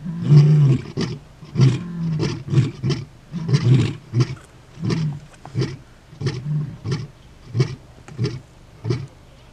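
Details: Territorial male lions at the start of a takeover, far southern Kruger National Park, morning; a deep roar opens into a long train of short, gruff grunts that gradually fade and slow.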